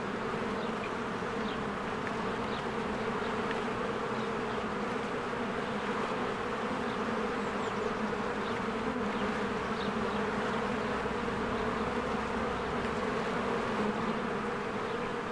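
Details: Honeybees flying around a cozy hive among spring blooms, steady loud humming drone of the colony without pause, soft bird chirps flickering faintly above.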